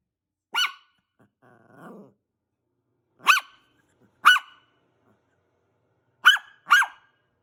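A small Maltese dog gives sharp, high-pitched barks, singly and in quick pairs.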